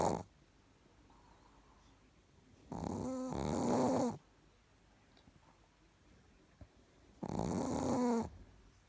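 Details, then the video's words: Chihuahua named Richard snoring sweetly while asleep indoors: two long snores about four seconds apart, each a breathy rasp over a faint whistling tone that rises then dips, with quiet breathing between. "ЧИХУАХУА РИЧАРД СПИТ И ХРАПИТ СЛАДЕНЬКО"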